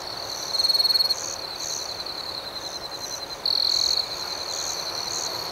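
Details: Nighttime cricket chorus: a continuous shrill ringing is overlaid with rhythmic pulsed chirps, about four per second. Two louder, closer trills rise out of it, one early and one midway, each lasting about half a second.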